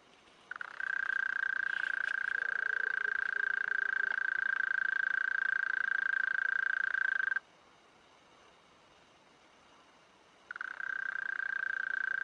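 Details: A mole cricket, rubbing its wings, sings a steady, pure churring trill, holding one low-pitched note for seconds at a time, recorded close up.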